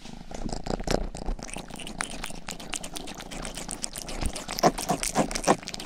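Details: Rangi, a young pet cat, licking the ear of a 3Dio binaural microphone while purring; a soft low rumble sits under uneven, moist tongue strokes that grow sharper and louder near the end.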